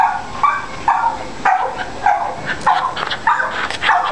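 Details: Long Coat Chihuahua up for adoption, giving a run of about eight short, sharp yapping barks roughly every half second, each bright and mid-pitched with ringing overtones.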